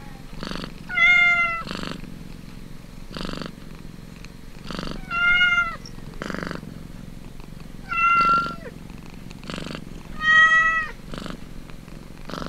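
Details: Nursing kitten: regular throbbing purr bursts roughly every second, with four tonal mews, each clear and gently arched, spaced about three seconds apart.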